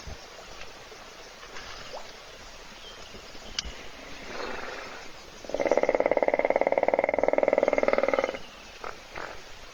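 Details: Sleeping hippo snoring in a puddle at a South African waterhole webcam by Kruger National Park, other animals waiting to drink; a loud, rapidly pulsed rattling snore lasts nearly three seconds, with faint ticks and quiet background before and after.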